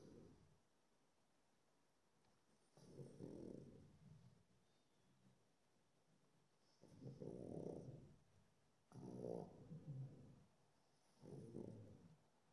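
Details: A pug relaxing in the afternoon snores in low, rasping bursts, each lasting about a second with pauses between.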